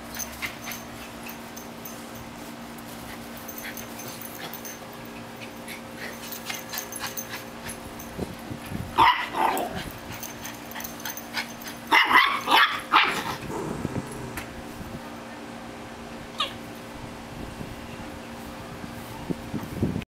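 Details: An 8-week-old Shiba Inu puppy, trying to keep up with an older West Highland Terrier, gives short yips and growly bursts in two clusters over a steady background hum.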